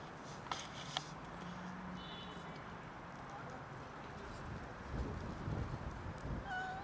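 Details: An unwell cat, unable to eat, gives a short tonal meow near the end, preceded by a faint higher-pitched mew around two seconds in, over steady low background rumble and a few clicks and rustles.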